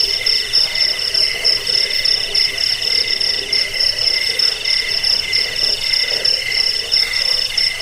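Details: Crickets used to drive off rats, help sleep and train cage birds: piercing buzzy chirps layered at two high pitches, pulsing fast and evenly throughout with no other sounds.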